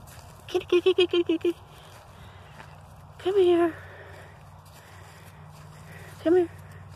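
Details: Semi-wild mother cat allowing herself to be petted: a rapid string of six short harmonic meows, then a longer drawn-out meow and one final brief meow, with a person calling "come here" and low background hum.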